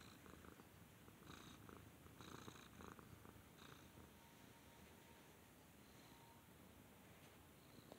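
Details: Purring cat under a petting hand, its low vibrating rumble steady and close, overlaid in the first four seconds by brief rustling strokes.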